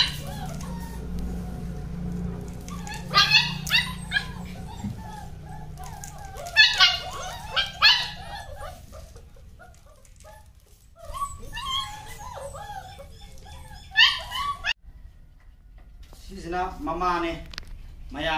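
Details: German Shepherd giving short, sharp barks in scattered bursts, around three, seven, eight, fourteen and seventeen seconds, with brief whining yips between them over a low steady background hum.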